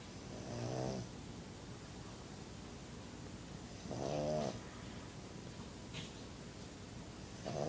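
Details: Sleeping pug snoozing and snoring: rasping, buzzy snores with a low harmonic rumble, one breath roughly every three to four seconds, separated by quiet stretches of steady background hiss.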